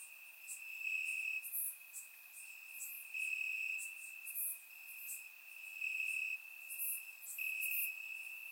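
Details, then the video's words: Night chorus of crickets in summer grass in Bulgaria: one sustained shrill trill holds steady while brighter, higher chirps flare up and fade every second or so; surround-microphone recording, nothing else audible. "Cricket Sounds - Crickets Chirping at Night"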